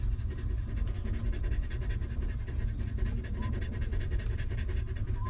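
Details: Rapid, regular panting from a stray dog mother protecting her litter of puppies, breaths evenly spaced throughout, with a faint short whine near the end and a low constant rumble behind.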